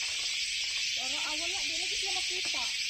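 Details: Many hard-to-see cicadas (kuliglig) under the trees of a park in Aichi, Japan, making a very loud noise: dense, unbroken high hissing buzz, with a man talking beneath it.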